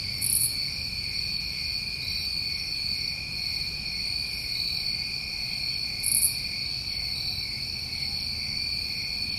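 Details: Summertime crickets recorded in New England at night, an even high-pitched trilling chorus with two short, very high buzzy bursts about six seconds apart.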